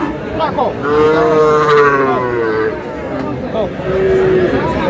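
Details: Sahiwal breed bull bought by a Comilla farmer on 25 April: a loud, sustained harmonic moo slowly falling in pitch, then a shorter second moo, with busy voices and chatter behind.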